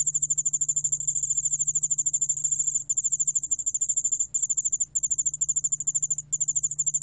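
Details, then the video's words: ['Yeoul-allak-bangul-beolle cricket from Korea, 2020 National Institute of Biological Resources recording. A shrill pulsing trill rings steadily, then becomes interrupted by short pauses after about three seconds. A faint low hum stays in the background.'] "여울알락방울벌레, 여러번 듣기, 곤충소리"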